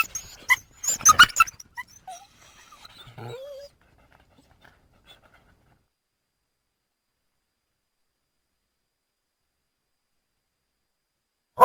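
A coyote lets out a rapid, ragged flurry of high yips, barks and whining yelps over a few seconds. A long quiet stretch follows, broken only by one last sharp yelp at the end.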